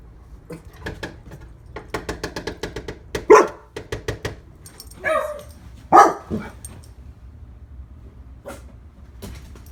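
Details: Lola, a one-year-old female Labrador Retriever kept as a pet, barks indoors: a string of soft rapid huffs and light barks broken by three loud, rough barks about a second or more apart, with a few scattered yips afterward.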